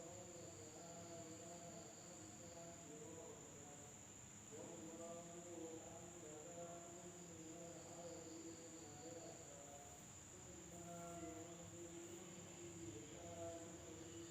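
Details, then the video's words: Night insects in an Indonesian village produce a constant shrill ringing tone, layered over lower, stuttering tonal calls that come in uneven bursts and pause briefly around four seconds before resuming. "the sound of insects at night in the village of Indonesia SUARA SERANGGA MALAM HARI"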